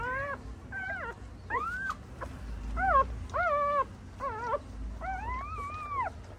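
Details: Female pointer dog giving birth to nine puppies at home: a series of high, wavering whimpers and whines, each under a second, rising then falling, with a longer arched whine near the end over low background hum.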